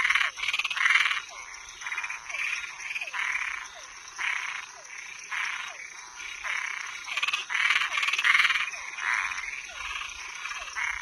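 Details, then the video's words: Toads and tree frogs at night give loud, grating croaks in uneven bursts, some overlapping into rattling runs, each followed by a soft falling note, with a steady high-pitched hum underneath. "Som de animais noturno Sapo e perereca"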